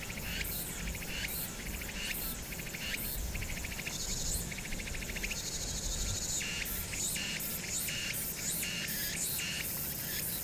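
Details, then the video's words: Night-time summer cicadas at Hwangnyeongsan, recorded 1 August 2019 with city noise behind: rhythmic, raspy high pulse bursts from several insects overlapping into a shimmering chorus, above a continuous low rumble of the city. "황령산(Hwangnyeongsan)의 여름 매미소리"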